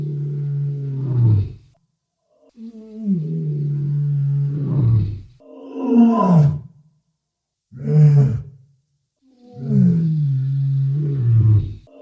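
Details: Walrus, presented as a real recording: five deep, roaring bellows with strong low harmonics. Each swells and then slides downward in pitch, separated by short silent gaps over about twelve seconds.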